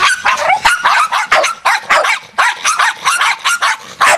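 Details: Pack of feral Jack Russell terriers on the attack, a dense, frantic stream of high, yappy barks overlapping almost without pause, several dogs at once.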